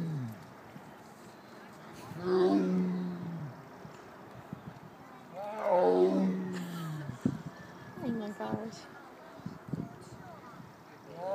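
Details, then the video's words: Zoo tiger at the Greater Vancouver Zoo "talking" in two drawn-out, low groaning calls that bend downward, about three and a half seconds apart, followed by a shorter, fainter call near the end; otherwise fairly quiet surroundings. "Tiger "talking""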